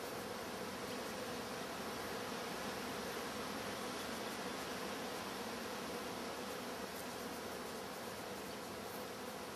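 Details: Continuous low whirring drone of many honey bees from a wild colony settled into their new hive, pollen coming in again and fondant fed; the hum stays even and thick throughout, without pauses.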